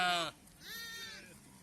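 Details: Sheep during PPR vaccination, one short, strong quavering bleat cut off sharply, followed after a pause by a softer, longer second bleat, with quiet background voices.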